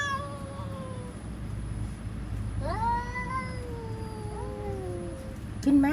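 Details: Cats threatening each other, heard more faintly: a fading drawn-out tone, then a softer yowl that rises and slides slowly down, ending with a brief sharp sound. Low hum throughout.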